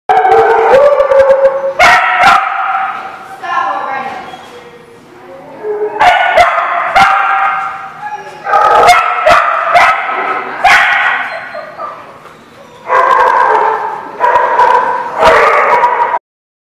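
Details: Dog barking, recorded 26 February 2016: loud bursts of barks and howl-like yips in clusters separated by short pauses, with harmonic, wavering tones, some sharp clicks, and speech detected among the calls.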